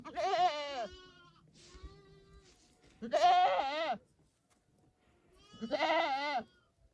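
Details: Domestic goat bleating: three wavering, harmonic-rich bleats roughly a second long each, spaced a few seconds apart, with quieter lower calls in between.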